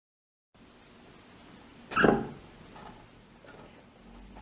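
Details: A guinea pig gives a single short, sharp squeak, a sign of slight pain, for example when brushing pulls a knot of fur or a sensitive spot is touched.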